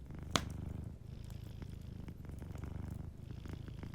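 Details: Sleeping cat's soft, low rumbling purr next to a warm fireplace, a loud fire pop right at the start, then steady rhythmic purring with faint crackles in the background.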